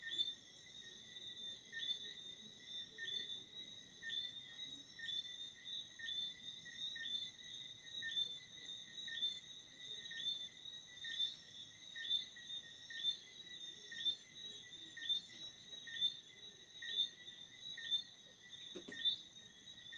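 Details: Steady chorus of crickets at night: crisp high chirps repeating about once a second over a sustained shrill drone, with a short faint knock near the end.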